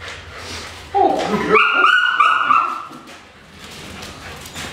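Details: Female Dutch Shepherd in Topeka, Kansas, said to have great nerves and to be very reckless in prey pursuit, gives a brief burst of strained, tonal yelping that climbs in pitch and then holds, with faint human voices around it.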